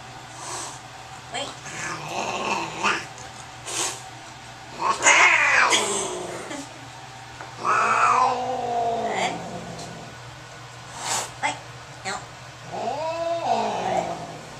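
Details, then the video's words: Angry cat at the vet, about to get its rabies shot, lets out loud drawn-out yowls and caterwauls with bending pitch, several long wails spaced a few seconds apart, with rustling and people talking softly in a small room. "Angry cat at vets"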